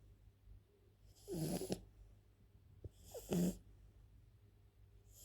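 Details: A French bulldog sleeping indoors, snoring in two rough, rattling breaths about two seconds apart, each a wheezy snort, with a faint low hum in the background.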